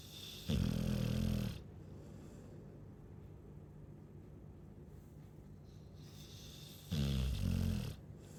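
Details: Chow Chow snoring: two deep, buzzy, throaty snores about a second long, spaced roughly six seconds apart, with near silence between them.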